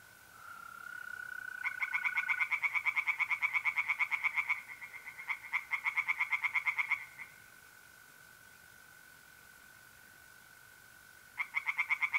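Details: [0, 0]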